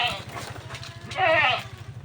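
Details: Goats being herded out to graze on a neighbouring farm field; one quavering, wavering bleat rises in the second half over a steady low rumbling hum.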